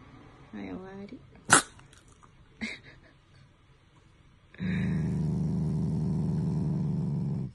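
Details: Shiba Inu Taiga, a family pet, growling out of affection rather than anger toward its owners. A short whiny harmonic cry and a sharp click come first, then a sustained low, rumbling growl lasts about three seconds.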